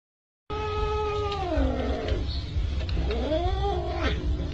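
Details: Cat from a funny cat compilation gives two drawn-out meows, the first long and sliding downward in pitch, the second rising then falling, over a steady low hum.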